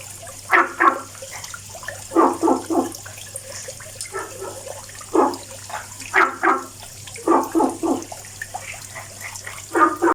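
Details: Frog calling every day, giving short rasping pulses in clusters of two to four, each cluster roughly every second or two, over a steady hiss and low hum.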